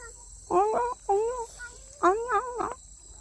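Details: Yellow stray street cat at its old feeding spot: a series of wavering, drawn-out, moaning yowls in short bursts, some rising then falling, with a faint steady high hiss behind.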